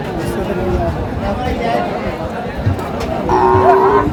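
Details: Cow at the Aftabganj cattle market in Dinajpur, Bangladesh, on 5 March 2025 during Ramadan. A low drawn-out moo with steady harmonic bands is heard against a constant hum of crowd chatter and traders bargaining.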